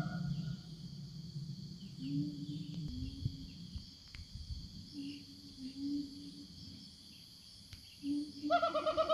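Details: A Siamang in the forest calls to its companions with deep, hooting booms, then a louder rising whoop, over a steady insect drone.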